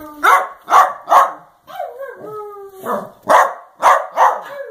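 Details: Dachshund's affectionate 'love yous': a run of sharp barks with a drawn, falling howl-like whine in the middle, then more barks and a final short tone, while the dog is called with 'hey baby girl come here'.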